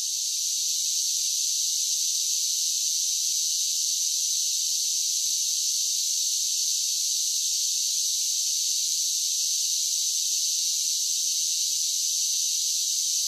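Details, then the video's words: Cicadas singing in summer, a dense, continuous shrill hiss-like buzz with no pauses or pulses, loud and steady from start to finish, nothing else audible. "Cicada Sounds"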